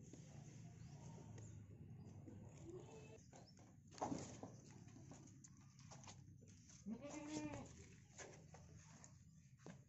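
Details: Goat stuck and in great pain, unable to stand, bleating: a few strained, wavering bleats, one around four seconds and a louder harmonic-rich one near seven seconds, over steady low background noise.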